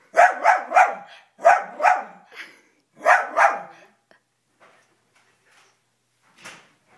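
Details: Toby the dog, reacting to footage of himself on a TV screen at home, lets out three rapid volleys of two or three loud barks within four seconds, then falls nearly silent apart from faint small noises.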